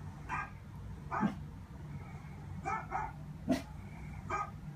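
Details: Dobermann puppy watching a Dobermann dog show, communicating: about six short, bright yips and whimpers spaced irregularly roughly a second apart, over a steady low background hum.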